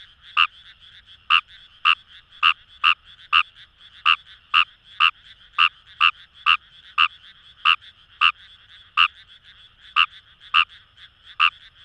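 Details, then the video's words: Fejervarya kawamurai calling from flooded rice paddies near the Kamo River in Itoshima, Fukuoka, Japan; crisp staccato croaks follow one another about every half second, backed by a busy, uniform chorus of distant frogs. "Wild Frog Call | ヌマガエル"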